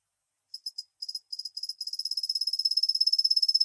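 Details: Kusa-hibari cricket, Svistella bifasciata, a gentle-sounding insect that calls mostly from dawn through the morning; high, clean trilled pulses start in short bursts, then merge into a fast, steady tinkling trill. No other sounds.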